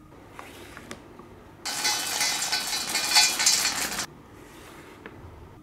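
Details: A burst of hissing, crinkling crackle like something being torn or crushed fills the middle seconds between quiet stretches; no animal sound is heard.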